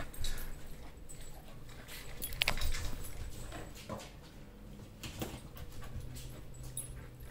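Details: Mata, a female Dogo Argentino at home in Atlanta, guards her territory and food against a visitor: a low, continuous rumbling growl with uneven swells, under occasional clicks and faint room noise.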